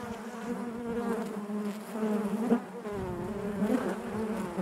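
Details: Honey bees humming within the hive: an unbroken layered buzz with gently wavering pitch, occasional nearer wingbeats briefly rising above the colony's drone.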